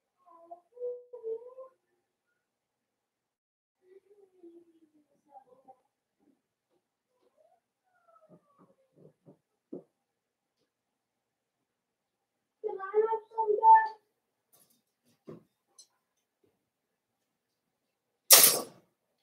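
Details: Young blenheim Cavalier King Charles Spaniel puppies, one of a five-pup litter born at New Year's, kept in an indoor pen; thin wavering whines early on, a cluster of higher whimpers later, and a sharp knock near the end.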